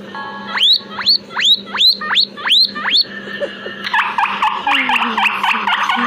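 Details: Two guinea pigs kept in a backyard give loud rising wheeks, six sharp upward-sweeping squeals about every half second, then a denser run of overlapping wheeks with a low hum beneath.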